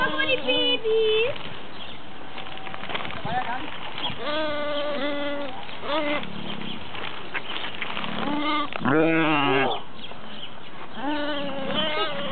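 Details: Goats at the petting zoo of the Berlin Zoological Garden in Germany; repeated wavering, nasal bleats, some long and quavering, others short, several overlapping, amid children's voices and crowd chatter.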